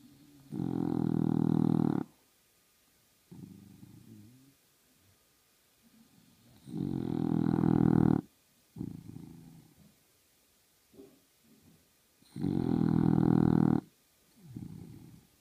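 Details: English Bulldog asleep during a nap, snoring loudly: long harsh rasping snores about every five to six seconds, with softer snuffling breaths in between.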